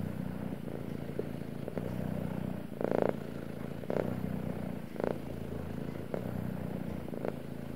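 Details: Male domestic cat purring steadily, a low rumbling drone in repeated cycles of about one second, with a few brief soft clicks and rustles over it.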